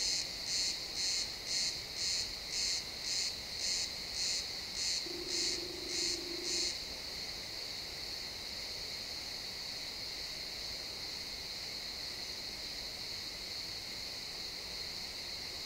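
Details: Pine forest at sunset with crickets, recorded in XY stereo: a run of about thirteen high, buzzy chirps roughly twice a second, a brief low hum near the end of the run, then an unbroken high-pitched drone of trilling insects.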